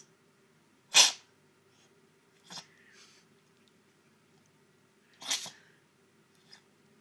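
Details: Mowse, a pet cat, having one of her sneezing fits indoors: sharp, breathy bursts at about one, two and a half and five seconds, the first loudest, with a faint low hum underneath.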